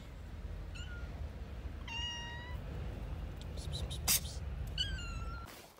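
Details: Three separate meows from a cat, each level and tonal with rich overtones, spaced about two seconds apart, the last one falling slightly; a sharp clatter sounds between the second and third.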